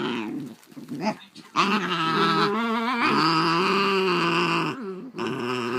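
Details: Two Basenjis, MBibi and Kimba, indoors, in a tense near-fight after MBibi tries to claim Kimba's toy. Sustained, wavering, tonal growling rises and falls in long drawn-out phrases, with a short gap before it resumes.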